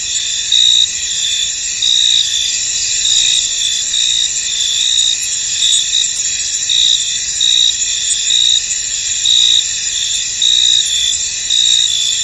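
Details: Chorus of crickets in a fog-covered field, continuous shrill insect trilling with pulsed chirps standing out about once a second over an unbroken high buzz.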